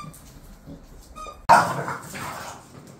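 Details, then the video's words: Pet bulldogs Khan and Ali, bored at home, give one sudden loud bark-like burst after a quiet stretch of faint rustling, and the sound fades out over the following second. "칸하고 알리 심심해"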